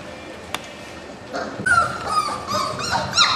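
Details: Four-week-old puppies of a litter born in March 2010 give thin whining whimpers that start partway through, sliding downward and repeating in quick, uneven bursts over a faint noisy background.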